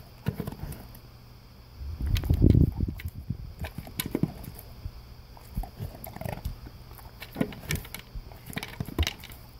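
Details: An English cream golden retriever crunches his breakfast of dry kibble from a blue slow-feeder bowl. The crunching is rapid and uneven, with a loud chewing burst near two and a half seconds, then scattered crisp clicks and bowl knocks.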